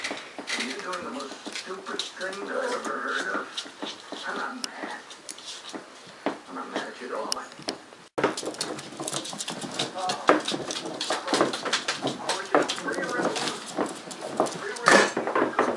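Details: Seven eight-week-old Cardigan Welsh Corgi puppies born 10/29/10, the "Nautical" litter, playing wildly in a small room: short whimpers and yelps come and go over thumps, with people talking throughout.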